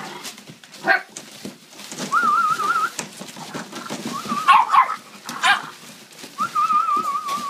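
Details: Playing puppies indoors give three drawn-out, wavering whines. Short sharp yelps break in between, over a steady background of scuffling and scratching.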